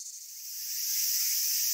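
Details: Dozens of cicadas on a warm summer afternoon sync their rapid timbal clicks, 300–400 a second, into one steady, high, hissing buzz that slowly swells louder.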